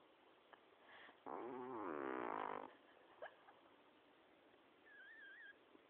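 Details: Snoring from Miash the cat, one drawn-out rough breath of about a second and a half with a layered wavering tone, followed by quiet room background, a faint click and a brief high squeak near the end.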